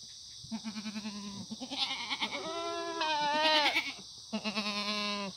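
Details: Korean black goats raised on pasture without antibiotics near Muchuksan, Gimhae, on a clear autumn morning in 2019; loud bleats with fast pulsing tremolo alternate with one long, smooth, falling cry, all over a constant high-pitched hiss.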